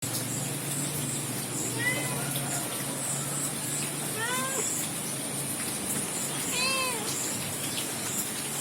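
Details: Domestic kittens and an adult male cat recorded in the morning, the kitten near its father; three short rising-falling meows with clear harmonics, spaced about two seconds apart, over steady background hiss.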